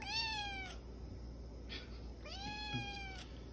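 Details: Small female Siamese cat indoors answering her owner after being told she will never go outside again: two clear meows about two seconds apart, each starting high and sliding downward, with faint room hum and soft clicks between them.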